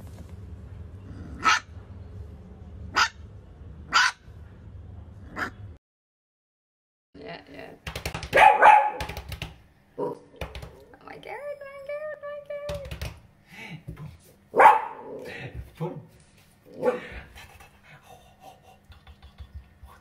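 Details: Pet dachshund barking: three sharp, isolated barks spaced a second or more apart, a pause, then a dense burst of rapid barks mixed with a drawn-out tonal whine and faint human voices in the background.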